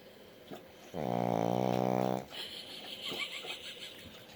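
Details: A sleeping dog lying with its eyes open indoors gives a single drawn-out, droning snore lasting about a second, deep and buzzy with a steady tone, followed by quiet room noise and faint movement.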